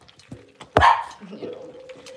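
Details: Six-week-old blenheim Cavalier King Charles Spaniel puppies, a litter of five in a home puppy pen: one sharp, loud bark near the start, then a short, wavering whine that trails off, with faint room noise.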